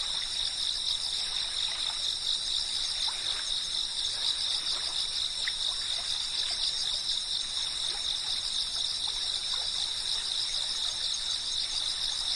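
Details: Cicadas keep up a high, unchanging shrill chorus of stacked tones while water trickles and gurgles steadily in the background.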